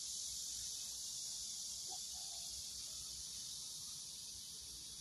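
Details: Cicadas drone in a steady, high, hissing buzz that runs unbroken throughout, recorded at a farm vegetable garden where the corn has formed ears.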